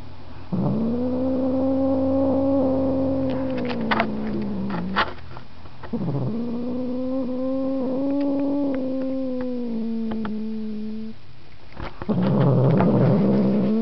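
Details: Markus, a house cat, repeats long wavering yowls of several seconds each, separated by brief clicks and pauses, with a rougher, noisier cry starting at the end.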